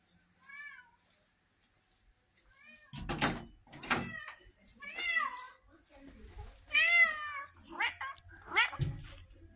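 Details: Pumpkin, a vocal female red tabby cat kept indoors, said to act like a Siamese, gives a series of arching, harmonic-rich meows, two soft ones early then several louder ones after three seconds, with knocks and a person talking in between.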